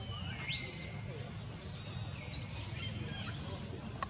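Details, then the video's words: Kidnapped infant monkey named Jinx, kept from its mum, crying hard for Jade: four piercing, rasping high screams in quick succession with faint sliding whistles between them and a low hum underneath. "BABY JINX CAN'T BACK TO MUM, JINX EXTREMELY CRIES CALL JADE."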